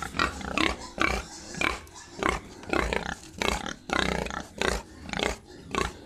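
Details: Farm pigs in Assam, India, making harsh, broadband grunting squeals about once a second in an irregular rhythm, each call short and rasping.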